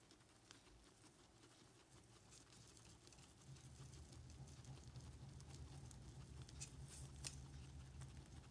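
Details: Pet guinea pigs Ozzy, Ginger, Speedy and Daisy on an indoor piggy cam, eating. Soft, irregular crunchy clicks of chewing come in quick bursts and grow denser after a few seconds, over a steady low hum.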